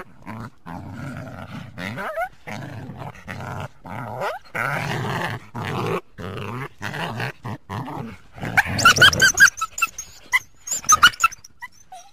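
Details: A coyote calling through the trees of a backyard on a winter day gives gravelly growls and short guttural barks in choppy bursts, then a quick run of thin, quavering yips and squeals before fading out.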